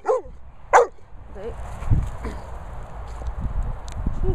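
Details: Medusa, a Staffordshire Bull Terrier, gives two sharp, high, whiny yelps in the first second, followed by fainter whimpering notes over a steady low rumble.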